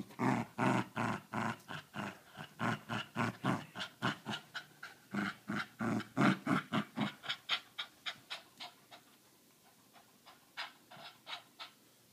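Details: An Australian Cattle Dog that doesn't want to give up its ball gives rapid, rhythmic, broadband grumbling pulses, about three per second, fading toward the end.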